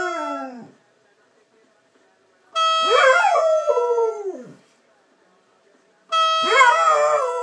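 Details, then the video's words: A golden Labrador howls at a horn: steady, bright horn tones sound while the dog's voice slides downward in wavering, falling howls, with two long bursts after a pause. "Golden Labrador howling at a horn."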